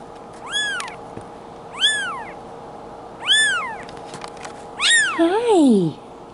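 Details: Two-week-old male Bengal kitten, born July 2016, in Madison, Wisconsin: four high, thin arched mews, each rising then falling, roughly one every 1.4 seconds. The last is overlapped by a woman's soft voice and a low steady hum.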